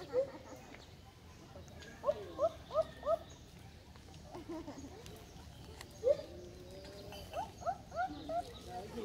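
A siamang gives short, rising whooping notes in quick bursts of four.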